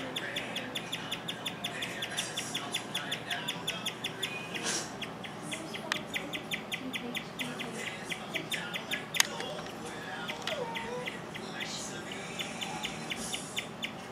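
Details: Pet guinea pig Rover at home, chirping for an unusually long stretch: a steady, rapid series of high, bird-like chirps, several each second, running without a break through the whole clip, with a person speaking quietly in the background.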